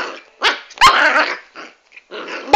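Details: A small dwarf Pomeranian growls and gives rough, harsh barks in quick bursts during play-biting, with a person scolding nearby.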